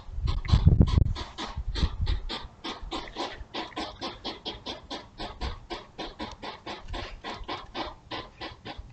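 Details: Pair of European hedgehogs courting by a house during the night, recorded by a trail camera: steady rhythmic puffing like a little steam engine, about 3.7 puffs per second, louder at first then evenly softer.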